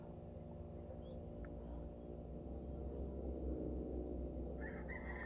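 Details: Noisy cricket hidden inside a store, a puppy listening nearby: short high-pitched chirps repeated steadily about twice per second over a low constant indoor hum.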